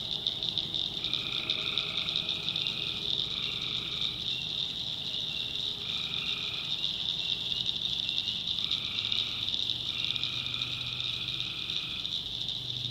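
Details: Night swamp chorus of tree frogs in the North Carolina backwoods: a constant piercing high drone, with buzzy trills of about one second repeating at irregular intervals, often in quick pairs, over a soft low rumble.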